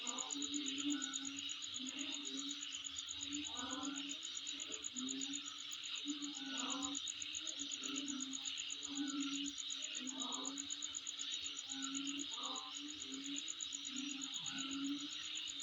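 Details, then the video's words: Near the recordist's home, insects keep up an unbroken high, rapidly pulsed trill and a thick hissing chorus, while deeper buzzy notes pulse irregularly underneath. "Sound Of Insect In My Place"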